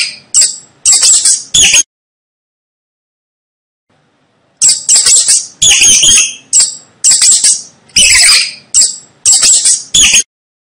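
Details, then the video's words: Rat squeaking in short, shrill chittering bursts, three quick ones, then a pause of about three seconds, then a longer run of rapid squeaks grouped in pairs and triples. Nothing else audible. "Tiếng chuột kêu Hình ảnh và tiếng kêu con chuột"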